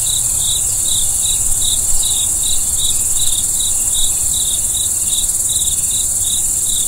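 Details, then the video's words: Night-time crickets give quick bright chirps in an even pulsing series, several per second, layered on a continuous thin high whine and soft low background hum. "Video & Audio Crickets"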